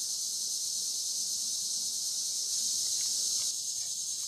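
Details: Cicadas along the Licking River in Morning View, captured during a dusk-to-dawn recording: a dense, unbroken high-pitched buzzing chorus that holds steady throughout, with no other clear sounds.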